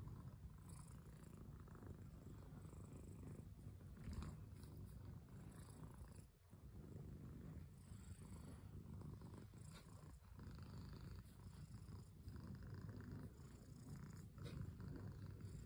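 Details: Domestic cat purring steadily, a continuous low rumble that runs for the whole stretch without breaks, with faint soft rustles and a brief dip in loudness midway.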